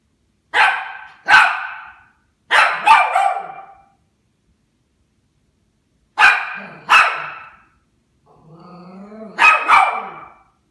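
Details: Toy Poodle about one and a half years old barking indoors at a Christmas tree: sharp, high barks in quick pairs, with three bursts spread over ten seconds, and a low whining growl between the last pairs.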